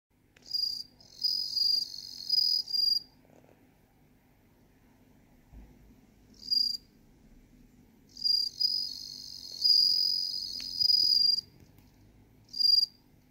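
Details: A bell cricket (Meloimorpha japonica) sings high, ringing, bell-like trills in bursts separated by short silences.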